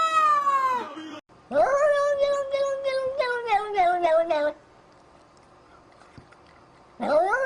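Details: Domestic cat caterwauling strangely: a falling cry, then a long wavering yowl that pulses rapidly up and down for about three seconds, a quiet pause, and a sharp rising cry at the end.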